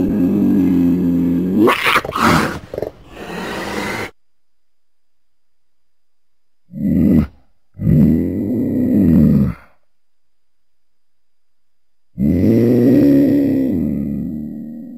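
A mountain lion gives deep, harmonic yowling calls, each lasting a second or two, separated by silence.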